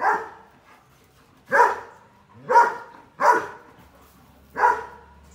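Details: A puppy gives five loud, separate barks, evenly spaced about a second apart, each short and sharp with quiet in between.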